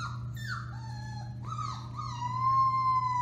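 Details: Alaskan Malamute puppies, four weeks old, from the Bema and Cole litter at Kwik-Pak, howling on March 30, 2021: long sustained tonal wails that dip and then hold steady, rising in loudness toward the end, with a constant low hum beneath.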